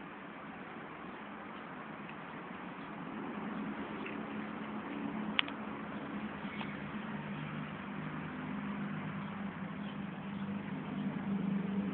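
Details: Muffled room noise and a low hum with one sharp click, and no barking or other animal call.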